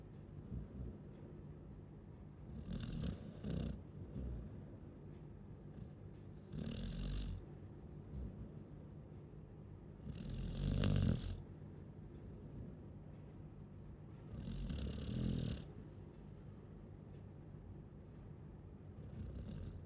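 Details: Chow Chow asleep and snoring: a regular series of low, raspy snorts repeating every three to four seconds, some louder and longer than others, with soft breathing in between and a quiet room.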